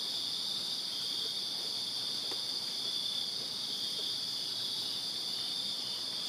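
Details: Backyard crickets in Virginia on a summer night, a dense, unbroken high shimmering trill from many insects at once, level and steady, with occasional faint low ticks in the background.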